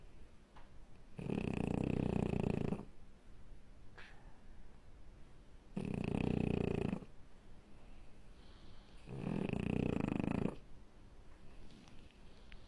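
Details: Sleeping French Bulldog puppy produces three throaty, buzzing snores roughly four seconds apart, separated by quieter breaths and a faint snuffle.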